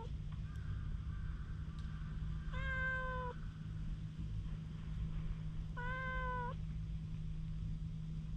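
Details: Stray cat showing strong wariness, recorded with a GoPro, utters two separate drawn-out meows about three seconds apart over a steady low rumbling background.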